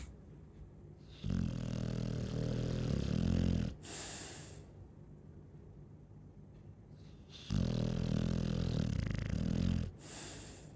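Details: ['Chow Chow snores in two long, low, rattling bursts about six seconds apart, each followed by a breathy hiss of exhalation, with quiet breathing between.']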